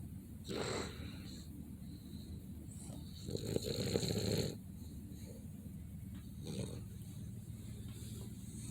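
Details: Boston Terrier sleeping, making soft snorting, breathy snores: a short puff, a longer rough exhale of about a second, then a fainter snuffle, with low room hiss throughout.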